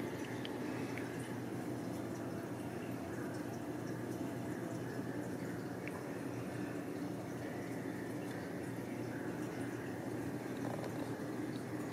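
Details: Continuous running and dripping water with a steady low hum indoors, and no animal voice.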